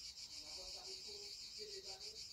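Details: In the evening at home, a chorus of cicadas gives a continuous shrill, rasping, gently pulsing drone, having just woken after cooler weather, while a woman talks quietly underneath.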